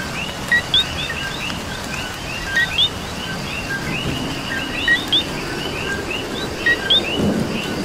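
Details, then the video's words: Coqui in Puerto Rican rain repeating its two-syllable call, a short lower note followed by a bright upswept one, every couple of seconds over a busy frog chorus, patter of rain and a faint rumble. "Coqui and Rain"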